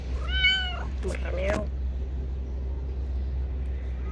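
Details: A friendly male street cat gives one short rising and falling meow, followed by a human voice and a constant low outdoor hum.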